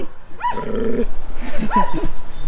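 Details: Large Rough Collies, four of them chasing a person, give two arched, harmonic barks about a second apart, with a steady lower voiced sound between them.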